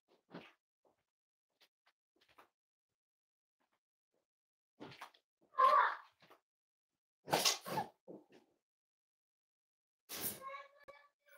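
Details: Six-week-old Cavalier King Charles Spaniel puppies indoors give scattered short whimpering and squealing calls, a few louder harmonic yelps after several seconds of quiet, with soft rustling and thumps between them.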